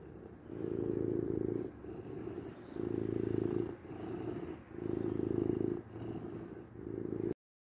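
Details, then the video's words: Domestic cat giving a low, even purr, pulsing in roughly one-second swells with softer gaps between, ending abruptly in silence. "8 minutes of Cat Purring"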